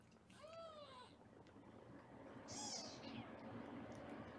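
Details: Two thin, high meows from a foster kitten being weighed indoors in Los Angeles, about two seconds apart, the first arching and drawn out, the second shorter and brighter, with quiet room noise between.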